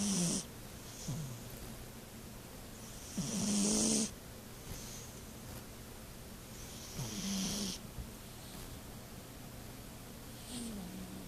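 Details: Pet cat sleeping and snoring quite loudly: breathy, hissing snores with a low rasping dip, coming every three to four seconds against a faint steady hum.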